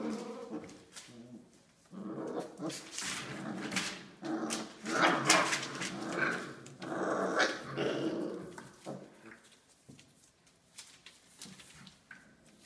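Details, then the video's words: Australian Labradoodle puppies, five weeks old, in a litter, giving a busy run of short yips, small barks and growly play noises, loudest in the middle and fading toward the end. "Australian Labradoodle Puppies - 5 weeks old"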